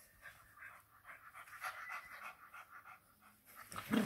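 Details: Panting English Bulldog puppy, from a pair of FCI English Bulldogs named Churchill and Mable living in a busy home in Nairobi, Kenya: steady, rapid, airy in-out breaths, about three per second, ending in a louder rustle.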